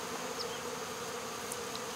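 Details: Removal of a honey bee swarm from a local baseball field, with the queen placed in a box; a loud, unbroken wing hum, steady and buzzy, with a soft high squeak.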